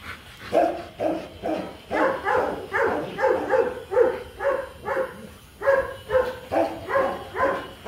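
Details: A Rottweiler pairing in Hanoi, Vietnam, the males Marvin Gervi and Kacyno Gervi meeting to mate; a dog gives rhythmic, pleading whimpers, roughly two per second, evenly pitched and sustained throughout.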